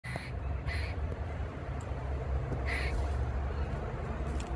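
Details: Grey squirrel in Oviedo, Florida, squawking over and over at a second squirrel with its tail curled over its body; short nasal harsh bursts in uneven pairs, over steady low rumbling background noise.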